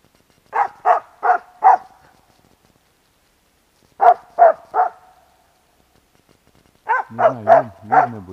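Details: Loud barking from Bek the dog at a squirrel moving up a tree trunk: a rhythmic run of four barks, a pause, three more, then further barks overlapping a person's voice.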